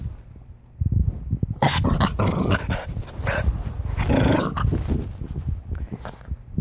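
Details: Energetic puppy in the morning gives rough, loud growling and snarling bursts in an indoor room, starting after a quiet second and continuing in dense, noisy runs.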